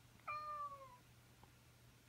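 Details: Indoor cat waking its owner at the same time each morning: a short, fairly quiet meow that starts sharply and slides downward, under half a second long, with a low electrical hum and a faint tap afterward.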